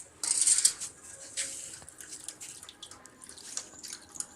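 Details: A thirsty Indian pariah (Indie) hunting dog laps water after being asked to drink, in quick, wet splashes and drips.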